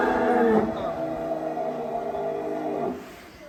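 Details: A long, drawn-out lowing moo from a cow in a barn of a thousand cattle at Sumber Ternak Farm. It is steady and harmonic and fades at the end, with a person talking in the background.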